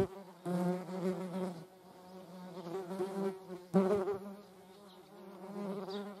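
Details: Median wasps (Dolichovespula media) with honeybees nearby: a droning wingbeat hum that swells in loud bursts as insects fly past, then settles into a softer steady tone.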